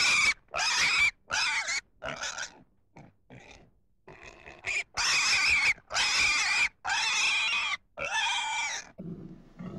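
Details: Pig squealing repeatedly in loud, strained bursts of about half a second, broken by quieter grunts mid-sequence, ending with low, rough grunting.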